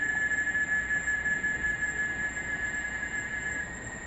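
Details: A cicada in a Brazilian forest at dawn or dusk, when cicadas sing for 30 minutes to an hour, gives a continuous, shrill, ear-piercing whine with a fainter higher note above and a soft background hiss.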